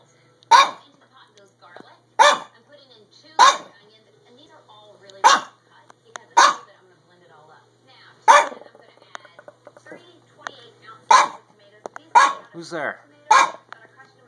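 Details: Chihuahua-Pug mix dog barking from a window at neighbors moving in across the street, recorded March 22, 2015; sharp single barks roughly every one to two seconds, about ten in all, with faint human speech between them.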